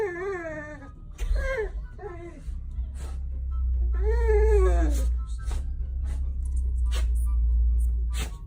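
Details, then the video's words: Golden Retriever excited to see its owner, giving drawn-out, wavering moans that rise and fall in pitch, a few in quick succession, over a steady low hum indoors. "Do I Have A Golden Or A Chewbacca | Weird Sounds My Dog Makes"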